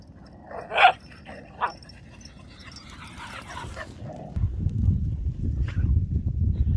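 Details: Whippets and cockerpoos at play, let loose together on a beach: two short, sharp yelps about a second apart, then quiet, with a steady rush of wind and surf rising in the last seconds.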